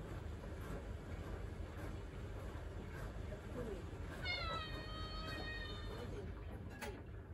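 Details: Attention-seeking pet cat in a home kitchen gives one long, level, sustained meow lasting nearly two seconds, heard over a constant low rumble and soft speech.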